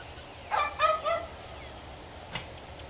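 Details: Barking dogs recorded 29 March 2013: a quick cluster of three sharp, yelping barks in about a second, then a single faint distant bark over low background hiss.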